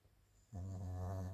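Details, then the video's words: Chiroru, a female Maltese × Shih Tzu cross born 22 July 2017, asleep indoors: after half a second of quiet, a low, steady, buzzy snore with many even overtones rises and holds to the end. "マルシーズー ちろる かわいいいびき"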